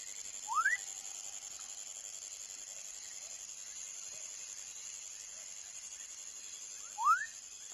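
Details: Baby frog giving two short, clear rising chirps, one near the start and one near the end, separated by a long quiet gap, over a steady high insect-like hum.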